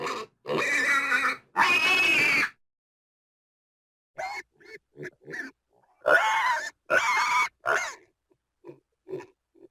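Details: Pig giving two long harsh squeals early on, then a run of short, clipped grunts and squeaks with silent gaps between them.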